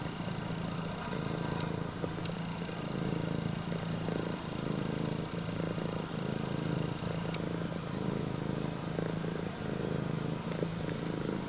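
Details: Loud purring, likened to an engine, from a female upright-eared Scottish Fold cat, red tabby and white, greeting its owner; sustained low vibrating rumble swelling with each breath, occasional faint taps in the background.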